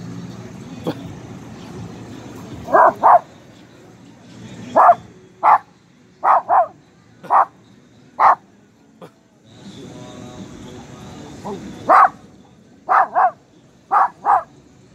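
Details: An almost two-year-old pinscher walking in a neighbourhood square barks after sniffing something unknown. Loud, short barks come singly and in quick pairs, about a dozen in all, with brief background noise and a laugh.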